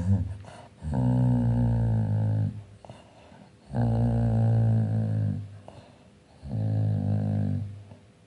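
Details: Dreaming dog growling in its sleep: three drawn-out, low, rumbling growls, each lasting under two seconds and coming about every three seconds, with quiet breathing between them in a small indoor room.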